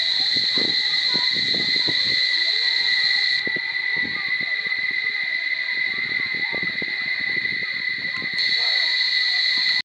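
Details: Barichara cicadas keep up a piercing, even electric drone that weakens for a few seconds and then returns at full strength, over low tapping and indistinct human sounds.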